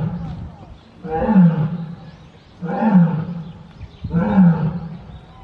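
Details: Captive lion, one of a pair of siblings at Tobe Zoo, Japan, filmed 14 February 2024, giving a howling roar: three deep, throaty, groaning bursts roughly every one and a half seconds, rich in low harmonics, with quiet rumbling between them.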